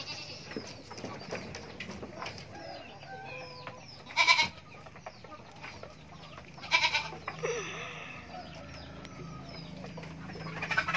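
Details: Goat kid giving two short, loud, harsh bleats several seconds apart amid quieter farmyard sounds, with soft chirps and clucks from nearby poultry.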